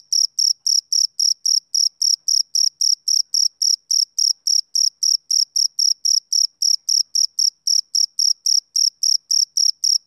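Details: Summer-evening chirping of a male cricket: a long, regular train of piercing high pulses, close to four each second, uniform in loudness, no other animals or noise.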